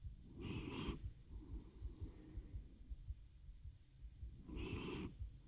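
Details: Sleepy domestic cat Teo purring into a RODE NTG-3 microphone captured on a Zoom H6; a soft, rapid low purr between two strong wheezing breaths at the start and end.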